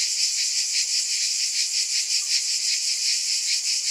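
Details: Shrill massed buzzing of cicadas, unbroken and high, swelling in quick rhythmic pulses about every half second.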